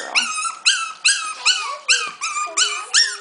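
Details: High, falling yelping whimpers from 5-week-old Havanese puppies, the litter of Bella and Dominique, repeated steadily about twice a second, each cry bright and harmonic, with a faint lower whine drifting beneath.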